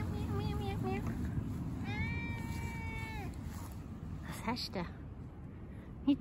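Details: Cat met in the Swiss Alps in 2021 gives one drawn-out, steady, tonal meow lasting about a second, slightly arched at its ends, while people talk in German before and around it, with a faint click near the end.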